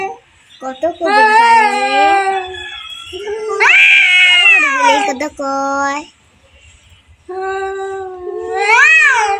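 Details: Two cats in a fight trade wavering, overlapping howls and moans, some climbing in pitch, with a short silence before a final rising wail.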